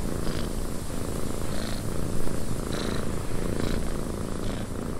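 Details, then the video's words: Softer cat purr in a windy cabin, an even low vibrating drone with faint periodic brighter puffs about once a second and a thin background hiss. "Cat Purring in a Windy Cabin 8 Hours of Blissful Purring"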